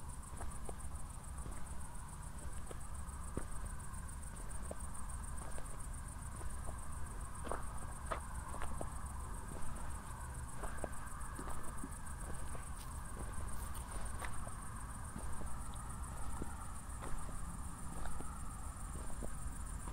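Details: Crickets keep up a steady, high, shimmering trill at night in Zwettl, Austria, just after a thunderstorm, while footsteps crunch along and a low rumble hums from distant city lights.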